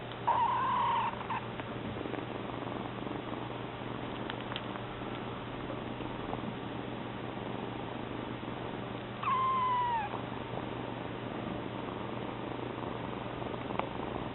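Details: In a room with a constant low hum, Mame, a newly arrived house kitten, lets out a single short meow at the start and another, descending one about nine seconds later, while Koge, the second cat, keeps purring.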